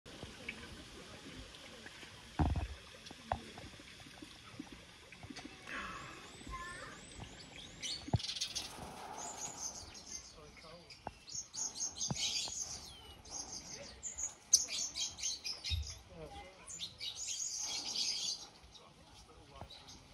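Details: Critically Endangered cotton-top tamarins at Cotswold Wildlife Park, where twins were born around Father's Day in June; high, thin chirps and curling whistled trills arrive in scattered bursts over a faint background with occasional soft knocks.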